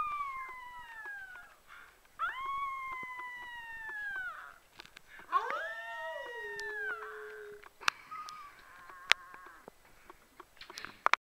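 An Australian Shepherd puppy gives long, wavering howls that rise, hold, then slide downward.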